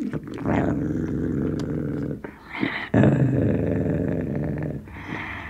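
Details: Sealyham Terrier with a bone, inside, gives continuous deep rumbling growls broken by brief pauses, with snarling bursts and a strong surge partway through.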